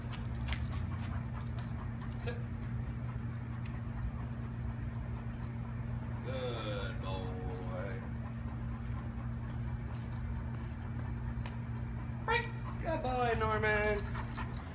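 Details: Dog-aggressive Great Dane in training in Northern Virginia, giving two bursts of high, wavering whines with stacked harmonics around six seconds and again near thirteen seconds, over a steady low hum and background talking.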